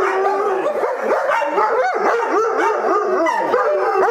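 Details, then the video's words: A chorus of howling dogs from the Oaktown Pack, including Travis, mixes drawn-out mournful notes with quick rising-and-falling yips and wavers, voices overlapping throughout. "The Oaktown Pack Howls Again"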